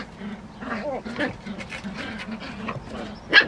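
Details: San'in Shiba puppies play-fighting in a basement, the high-spirited eldest female among them: a low, rumbling growl held through most of the moment, rising and falling, with a sharp yelp-like burst near the end.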